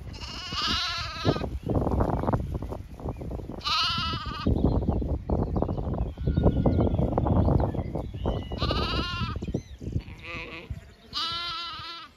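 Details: Zwartbles sheep flock on a regenerative farm in County Kilkenny, Ireland, moving to a field for cool late afternoon grazing; several loud, wavering bleats ring out over steady munching and footstep rustle, with birds chirping faintly behind.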